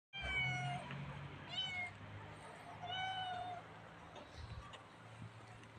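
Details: Friendly black cat giving three clear meows within about four seconds, each a tonal, slightly falling cry, the last one drawn out longer, over a steady low hum.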